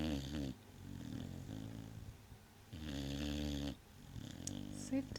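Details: A sleeping male Vizsla snores loudly in long, low, rumbling breaths, with a soft human voice nearby; the owner says he snores only in certain positions.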